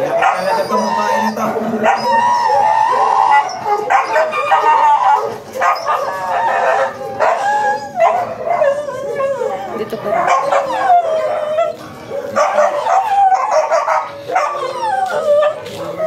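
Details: Michael, a Chow Chow stud dog at a mating session in Manaoag, Pangasinan, whining and howling in long, bending tonal cries broken by short pauses, while people talk loudly nearby throughout.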